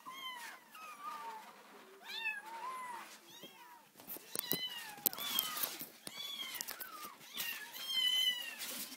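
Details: Hand-raised orphan kittens, four of them at four weeks old, calling their carer awake as they do every day: many overlapping wavering meows, some rising then falling, with rustling and tapping noises underneath.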